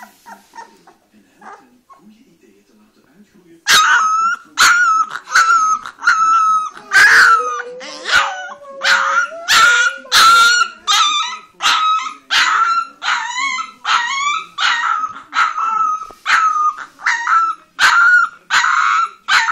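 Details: Orange female Leonberger puppy after a quiet opening, then a long series of high, yappy barks and yips about once a second, some wavering and whiny, with a low human-like voice underneath midway.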